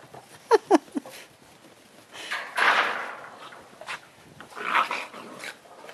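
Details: Six-week-old Great Dane puppies, a female mantle pup among her litter mates, playing indoors with their mother nearby: three short, sharp, falling yelps within the first second, then rustling, soft scuffles and a person talking.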